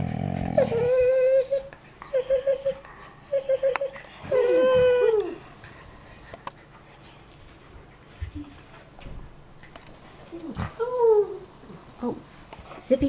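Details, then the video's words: Pet collies indoors telling their owner they want to go out before bed: a run of tonal, howl-like whines with rich overtones, several short level ones, then a longer bending one, later rising-falling yelps, with a person's voice between. "Funny Talking Collies"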